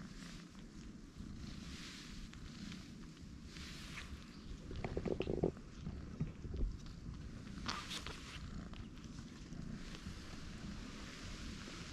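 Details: Outdoor ambience with low rumbling background noise, scattered footsteps and brief clicks, and faint distant voices; no animal calls are heard.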